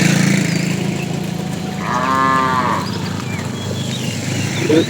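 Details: Tame cows roaming a road in search of food give a single moo of about one second, a steady harmonic low lowing over a continuous low rumble of background noise.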